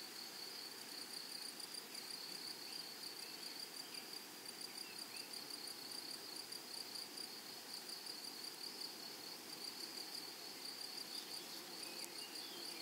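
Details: In a flowery meadow, grasshoppers keep up an unbroken high-pitched ringing trill with fine, fast pulses over a soft, breathy background hiss.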